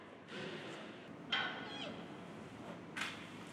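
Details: Giant panda cub, 106 days old and weighing 5,865 g, born 22 November 2020 at Adventure World in Shirahama, Wakayama, calling to its mother Rauhin to ask for play or milk or show discomfort; one brief high squeak amid rustling.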